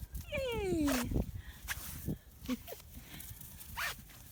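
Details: One of a litter of six black five-week-old British Labrador puppies lets out a long whine that slides sharply downward, then adds a couple of brief yips, amid rustling, footsteps and a woman's voice.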